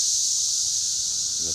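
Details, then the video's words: Unbroken high-pitched buzzing from many cicadas in the trees of Schroeder Park, Ballwin, Missouri, a dense even hiss that holds level throughout, with a brief low human sound at the close. "cicada time"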